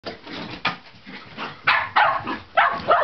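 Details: Two Shetland Sheepdogs at play. One barks at the other to provoke a chase, having learned that barking gets it chased. Short sharp barks come in quick bursts of several per second over a noisy background.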